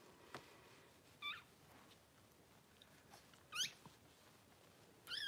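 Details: Cavalier King Charles Spaniel litter during whelping, six puppies born in two hours indoors; three brief, high, rising-and-falling squeaks spaced a second or two apart over quiet background hiss.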